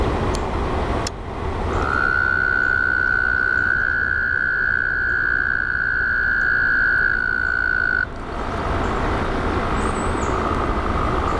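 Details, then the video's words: At a frog pond, a continuous low rattling chorus forms the backdrop; a sustained, flat, high-pitched trill begins after two seconds and stops abruptly around eight seconds. "frog pond"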